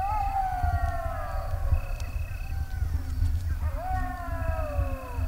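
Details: Golden jackals (Canis aureus) in Greece in 2023 answer a human imitation of a jackal howl with long, wavering wails that slide downward over a low rumble of wind.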